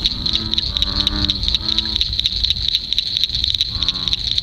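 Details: Massive chorus of American bullfrogs (Lithobates catesbeianus) at night in a dark swampy lake on a somewhat windy evening: deep, droning calls in bursts under a constant high, pulsing insect chorus.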